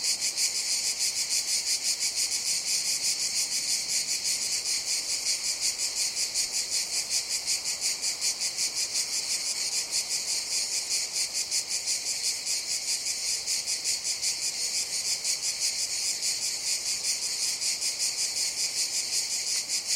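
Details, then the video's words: Continuous cicada chorus, a harsh high-pitched whirring that pulses rapidly and evenly for the full length, constant in volume, no other voices or noises. "Sounds of Cicadas"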